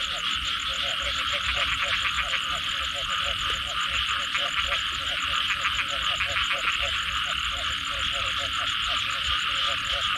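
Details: Frog chorus in the wake of rain: low pulsed croaks and rattling trills repeating unevenly, with a steady high insect buzz running underneath the whole time.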